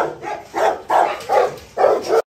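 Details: Pregnant Rottweiler named Aila, 46 days into pregnancy, well fed and facing a provoking old rival dog: four loud, deep barks in quick succession over about two seconds, the final pair close together, then sudden silence.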